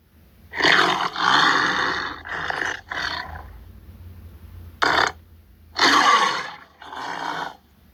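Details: Tiger growling; several deep rasping growls in bursts, a quieter gap near the middle, then two more heavy growls at the end, with a faint low hum underneath.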